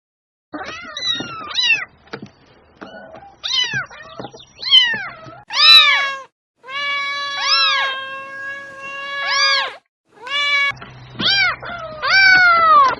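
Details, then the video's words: Cat giving a laugh-like run of calls: short choppy meows, then longer arched, harmonic-rich meows rising and falling, about ten calls with brief pauses, in a quiet setting. "the sound of a cat laughing"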